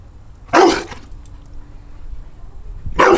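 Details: Pet dog barking at skateboards it dislikes: one loud, harsh bark, a second of quiet, then another strong bark at the end.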